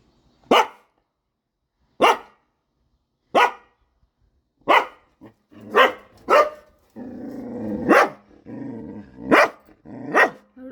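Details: Pet dog barking at the daily leafy-greens vendor: nine sharp, single barks, spaced about one to one and a half seconds apart, with faint voices and rustling in the later part.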